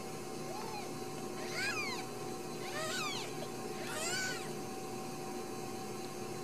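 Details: Several Ragdoll kittens raised uncaged in a home in central Kansas give three bursts of high, rising-then-falling mews about a second apart, layered over one another, against steady room noise.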